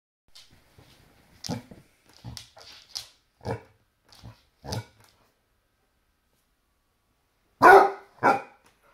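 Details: Basset Hound barking at a toy T-Rex indoors: a series of short, low, separated barks in the first five seconds, then a pause and two louder, harsher barks near the end.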